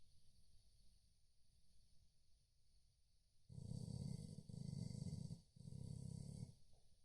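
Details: Chow Chow dozing and snoring: quiet breathing at first, then three rough, rumbling snores in quick succession, each about a second long with brief pauses.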